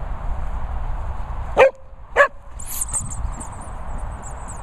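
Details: Sprocker, a Springer Spaniel crossed with a Cocker Spaniel, at a dog training and boarding kennels in the Worcestershire countryside, giving two short sharp barks about half a second apart over steady background hum, with high chirping birdsong afterwards.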